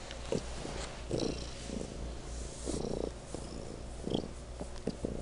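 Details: Domestic cat named Legend purring particularly loudly indoors; a low, continuous rumbling purr with soft pulses swelling at irregular intervals of roughly a second, plus faint higher rustles.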